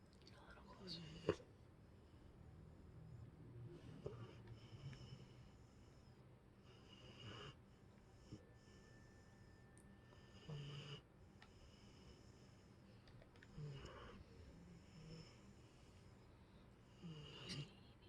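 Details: Boxer dog named Emma sleeping and snoring: breathy, rasping snores arrive roughly every three seconds, about six in all, over a quiet indoor background with a faint high tone.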